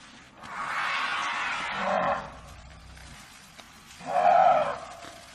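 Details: African elephant producing a long, rough, noisy trumpet lasting nearly two seconds, then after a pause a shorter, louder, more tonal trumpet blast, with low rumbling in between.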